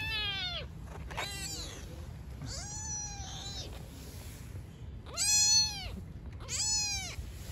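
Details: Stray mother cat and newborn kittens on the street: a run of five clear meows, bright and arched, some short and one longer and flatter, separated by brief pauses, against faint low street noise.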